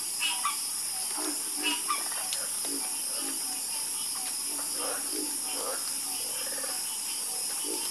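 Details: Chorus of frogs croaking with scattered short, low croaks from several callers at irregular intervals, set against a steady, high, hissing insect-like drone that fills the background.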